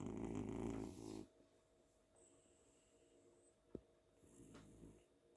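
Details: House cat asleep on a pillow at home after a fun day, snoring: one deep, rasping snore in the first second, then quiet breathing with a thin whistle-like tone and a soft click.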